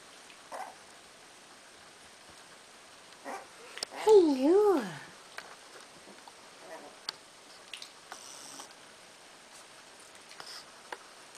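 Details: Cardigan Welsh Corgi puppies, 18 days old, from the Star Trek litter at Fromax Kennel, listening to a familiar voice; one pup gives a wavering, up-and-down yowl lasting about a second, while a person keeps saying hello.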